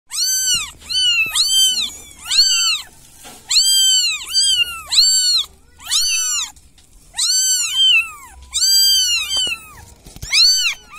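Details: Village cat meowing as if asking for help: high, arched meows with rich overtones, about ten calls in irregular bursts, some doubled in quick succession, with faint low background noise between calls.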